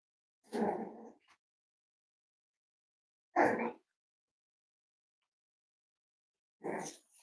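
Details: Indoor barking from Cavalier King Charles Spaniels at Red Barn Cavaliers, on a livestream of five-week-old puppies: three full, rough barks spaced about three seconds apart, the first trailing into a brief growl.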